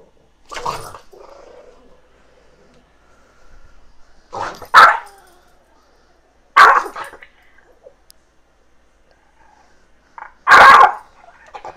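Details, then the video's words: Chihuahua with its head stuck in a bag, indoors at home: short sharp barks spaced a few seconds apart, about four bursts, with quiet rustling between them. "Chihuahua Gets Head Stuck in Bag"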